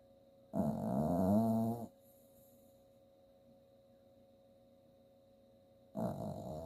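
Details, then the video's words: Dreaming in her sleep, an 8-year-old rescued Chihuahua–Jack Russell Terrier mix named Bailey gives one drawn-out, low buzzing snore, then a long quiet breath before the next rumbling snore begins. "My dog bailey dreaming and snoring."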